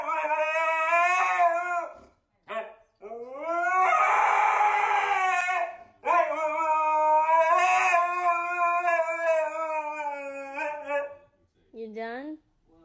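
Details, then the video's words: Domestic husky howling as if singing: long sustained notes that swell and slide in pitch, broken by brief pauses and a short yelp-like rise near the end. The dog is recorded up close. "Funny Husky Auditions for The Voice!"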